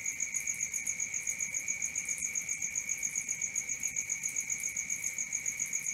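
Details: Crickets at night in a nature recording: a steady high-pitched trill with rapid pulsing, about four pulses a second, plus an even higher shimmering band above; no other animals or voices.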